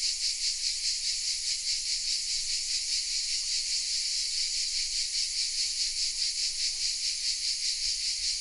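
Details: Cicada song from oak trees in the village of Vézénobres, south of France, recorded on a Sony RX10 M3: a loud, even, hissing whirr that pulses rhythmically, roughly two or three beats each second, steady from start to finish.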